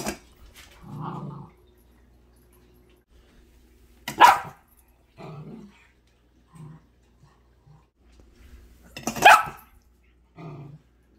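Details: Shetland sheepdog puppy, female, warning the cats off her dinner at feeding time; low rumbling growls recur every few seconds between two loud, sharp barks about five seconds apart.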